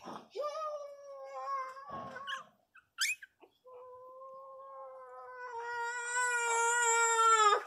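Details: Hungry, nursing Miniature Pinscher puppies give long, steady, whining cries, drawn out and slightly falling at the end.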